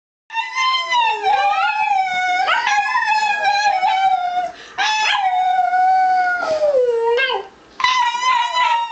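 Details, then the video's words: Bonny, a pet dog, howling along with her owner; long sustained tonal howls with rich harmonics, wavering and dipping in pitch, broken into three or four drawn-out phrases with short pauses between. "Bonny Howling"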